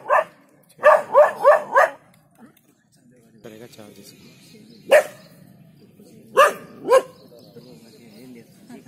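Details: Dog facing down a timid leopard in Jhalana, barking until the cat slinks into the undergrowth: a burst of four rapid barks, then single sharp barks spaced a second or more apart, with quiet background noise.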